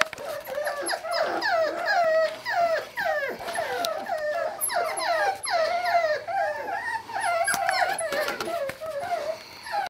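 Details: Litter of Sealyham Terrier puppies giving continuous high, wavering whimpers and yips, several overlapping voices, a couple of calls per second throughout, rising and falling in pitch, with occasional clicks and handling noise.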